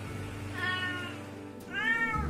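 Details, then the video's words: A domestic cat gives two drawn-out meows, each rising then falling, over soft background music. "Siamese cats are one particularly vocal group"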